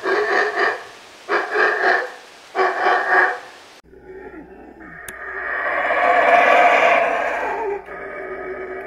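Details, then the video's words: Howler monkey howling: three bursts of rapid, rough, pulsing roars in the first four seconds, then a long, swelling, hoarse roar that rises to a loud peak and fades, with a steady low hum beneath. "Howler Monkey Howling Compilation | Sounds of Howler Monkey Howling | Alouatta Sound"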